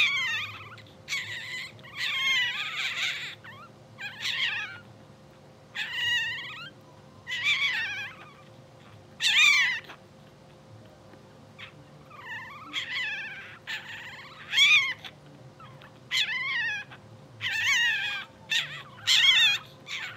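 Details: Newborn English Bulldog puppies, two hours old, from a blue sable litter, twitching and sleeping: a run of high, wavering squeals and whines, each under a second, coming in bursts with short gaps, over a steady low hum.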